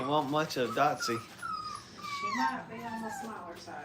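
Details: Five-week-old Brittany puppies playing at a training kennel: thin, high whimpers that glide downward and waver over about two seconds, following a burst of human talking at the start.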